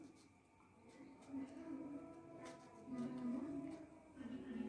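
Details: Newborn Persian kittens, abandoned and not nursed by their mother, give thin, wavering mews in quick succession over a faint indoor hum.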